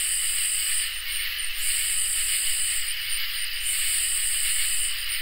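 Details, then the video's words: Summer nighttime insect chorus of crickets and katydids, with an even high-pitched drone and a lower constant trill. Louder buzzy phrases cut out briefly about every two seconds. "Crickets and Katydids in Summer | Ambient Night Chorus"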